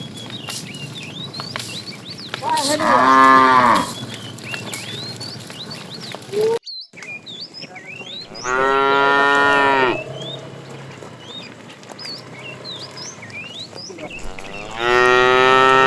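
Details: Cows herded in the morning, running toward green pasture; three loud wavering moos spaced several seconds apart, each roughly one to one and a half seconds, over constant chirping birds and a brief cut in the sound.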